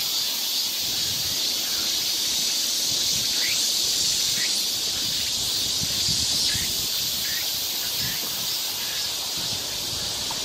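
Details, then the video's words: Cicadas in full midsummer chorus on a heatwave day, 3 August 2023, in the forest of Galsan park, Yangcheon-gu, Seoul: a dense, steady, high-pitched hiss with faint short bird chirps scattered through it. "매미 소리가 아주 한창 울고 있습니다."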